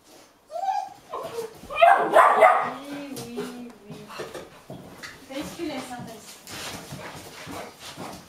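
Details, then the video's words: Hungry Golden Retriever puppies, eight and a half weeks old, hopping and barking with impatience while their meal is prepared, Haute-Savoie, France, January; high yelps and whining squeals in quick irregular bursts, with loud louder yelps early on. "Golden Retriever Puppies looking forward to their meal"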